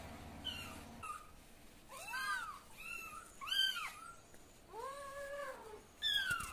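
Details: Cat voices with kitten calls, recorded at various times: a busy series of arched meows at different pitches, some rising then falling, overlapping and repeated every second or so, with a low hum at the start.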